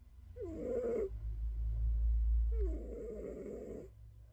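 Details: A house cat snoring as it drifts toward sleep, two drawn-out wheezy breaths separated by a pause, partly masked by a loud low rumble between them.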